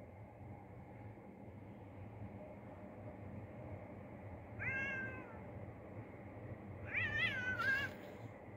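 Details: Neighbourhood cats being fed outdoors give two clear meows: the first a short, level mew midway, the second a longer, wavering call that bends downward near the end, over a steady low rumble of background noise.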